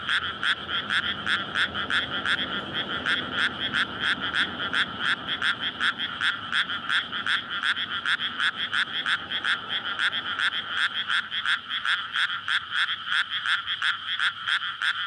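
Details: Frogs calling for mates at night in May in a newly flooded rice field near homes, SONY PCM-D100 recording. Fast, continuous, rhythmic croaks, several callers overlapping in a steady rattling pulse, with a faint low rumble beneath in the early seconds.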